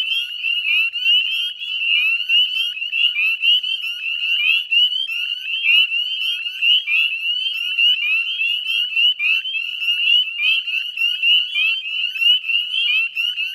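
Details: Dense dusk chorus of northern spring peepers at the Chezzetcook salt marsh wetlands, Nova Scotia, 18 May 2020: shrill upslurred peeps pile on top of one another without pause, the loudness pulsing as nearer frogs call.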